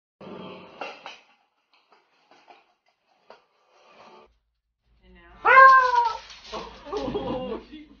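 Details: Beagle puppy giving a loud, harmonic, arching whine that drops in pitch and then trails into rougher noise, after earlier soft human speech and short quiet sounds, with faint music.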